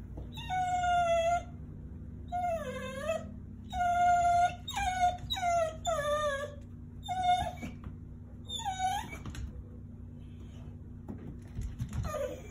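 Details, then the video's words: Excited dog giving high, whining whimpers in repeated bursts, each a drawn-out tonal whine, some bending downward, spaced one to two seconds apart, over a steady low background hum. "Excited dog noises"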